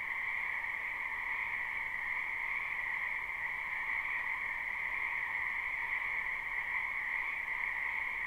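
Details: Live recording of a springtime wetland full of frogs: a constant, even croaking chorus hums on a lower and a higher band, softer and set against a steady background hiss.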